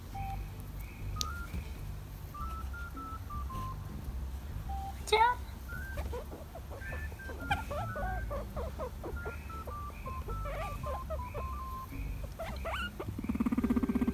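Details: A guinea pig doing its "kyurukyuru" dance makes clear, held squeaky notes that step between pitches, mixed with quick chirps.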